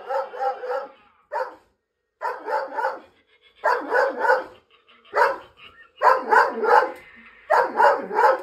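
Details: Female dog barking at a scarecrow Halloween decoration that frightened her, before mauling it to the floor. Loud barks come in clusters of two or three, with short silent gaps between bursts.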